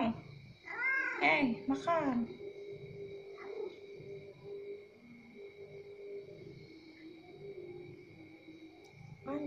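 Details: Orange cat at the pre-dawn sahur meal, two brief strained meows near the start followed by quiet background hum and a faint tone.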